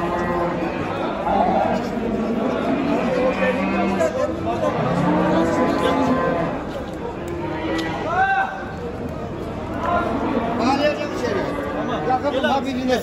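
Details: Simmental heifer from a livestock market, handled while being loaded onto a truck; long, low, harmonic mooing carries through the first half, with men talking nearby and background bustle throughout.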